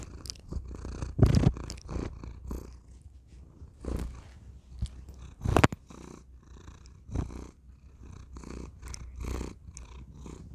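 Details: Thor, a pet cat, purrs into a tiny microphone in a small room: a steady low rumbling purr with rhythmic breathing pulses, interrupted by sharp clicks and rubbing bursts against the mic.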